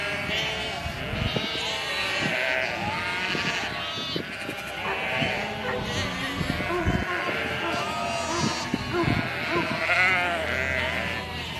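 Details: Flock of domestic sheep calling almost continuously, many tremulous bleats layered over one another, some higher and thinner, others lower, with intermittent clicks and thumps in the background.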